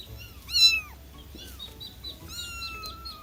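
A kitten gives high, thin meows, some rising then falling, repeated to attract other cats.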